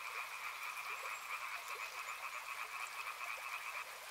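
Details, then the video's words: Chorus of frogs beside a river, many callers overlapping in a dense, continuous pulsing trill with a steady rushing hiss of water underneath throughout. "Frog Sounds | Soothing sounds of river and frogs"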